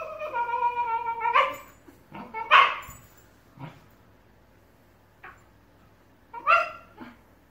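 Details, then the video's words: A Shiba Inu in a lengthy argument with another over a ball gives a long, steady, whining yowl, then single sharp barks spaced out, with quieter yips between. "Shiba Inus have vocal argument over ball"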